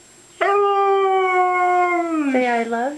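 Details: Female house Siberian Husky coaxed to say 'I love you' gives a sudden, clear, sustained howl. The pitch stays level, then drops in two warbling steps near the end, like spoken syllables. A person's voice prompts it.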